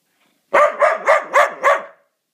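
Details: Rapid volley of five loud, harsh barks from a Mudi, evenly spaced about a quarter second apart, all in under two seconds, with silence before and after.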